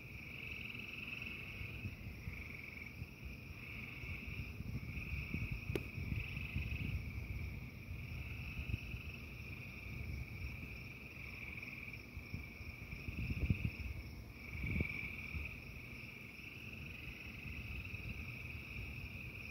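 A steady, high trilling frog chorus continues over the low rumble of a thunderstorm.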